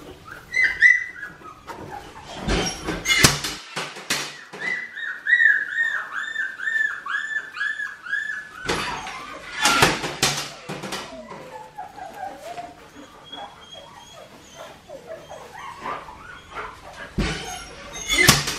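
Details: High, sustained puppy squeals from two-and-a-half-week-old Australian Shepherds, Poppy and Dublin's litter in Oklahoma, wavering in quick pulses almost throughout, mixed with sharp clicks, bumps and handling noise.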